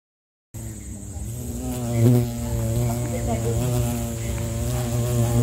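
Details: Bumblebee (Bombus pennsylvanicus) recorded in Sri Lanka: a low, droning wingbeat buzz starting after half a second of silence and running continuously, its pitch wavering slightly up and down, over a faint steady high-pitched hiss.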